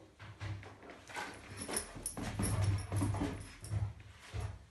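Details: Female Rhodesian Ridgeback at play with a toy, making low whining and grumbling vocal sounds in uneven bursts, with a deep humming tone underneath in a small room.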